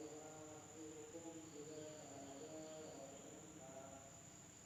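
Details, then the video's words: Insects heard after dark in an Indonesian village, giving a sustained thin, high-pitched whine with a layer of lower fluttering tones underneath. "the sound of insects at night in the village of Indonesia SUARA SERANGGA MALAM HARI"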